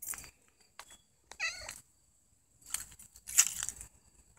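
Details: Mother cat Puffy-fluffy with her kitten Snow White, being adorable; a single short, wavering meow sounds mid-clip between handling clicks and soft rustling.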